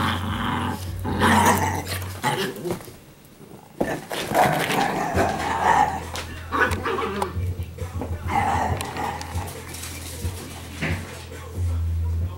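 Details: Household Italian Greyhounds play-growl on laundry day near Sparkle's kennel: throaty rumbling growls broken by sharp yips and barks, a short lull midway, then more grumbling over a persistent low electrical hum with some human speech.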